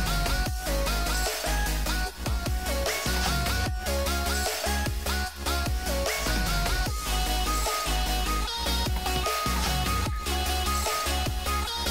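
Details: Loud electronic dance music with heavy bass and a pulsing beat fills the whole stretch, with no animal sounds.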